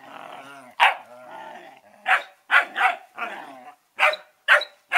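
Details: Two 11-week-old Collie puppies, Norris and Amica, vocalising: sharp yapping barks repeated irregularly, mixed with lower drawn-out growling whines between them.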